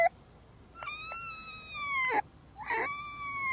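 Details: Marmot giving long, steady whistled calls rich in overtones. The first lasts over a second and dips at its end, followed by a second whistle. Light background hiss.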